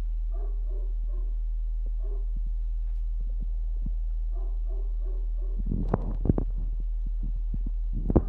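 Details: Seven 20-day-old puppies from the LELIA and MRAK litter during calm play: soft, short harmonic grunts and whimpers in quick clusters, pausing, then returning, followed by louder thumps and rustling over a steady low hum.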